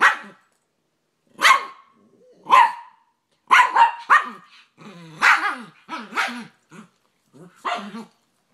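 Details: Two dogs, a Rat Terrier and an American Staffordshire Terrier/Pit Bull, play fighting: short harsh barks roughly once a second, then a rapid run of yapping barks and growls.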